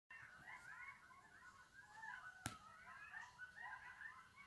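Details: Coyotes calling in a group, a tangle of wavering, rising and falling yips and howls overlapping continuously, with one sharp click partway through.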